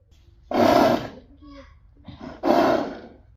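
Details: A Friesian horse, annoyed by a rascally companion horse, lets out two loud, harsh, noisy squealing bursts about two seconds apart, with a faint higher tone between them.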